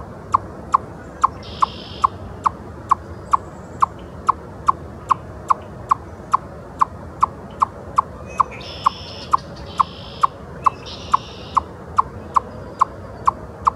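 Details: In Ontario, an eastern chipmunk on a log gives a steady run of sharp, high chips, about two per second, as an alarm call.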